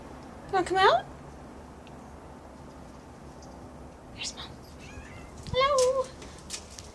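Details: Female pet cat indoors, demanding to be let outside; two distinct meows, a sharp rising-then-falling one early and a longer wavering one near the end, with a faint chirp between, while a woman talks softly to her.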